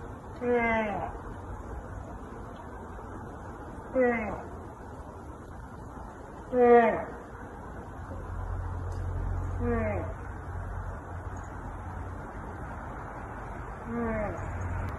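An American black bear gives short, tonal, moaning calls that swoop downward, spaced a few seconds apart.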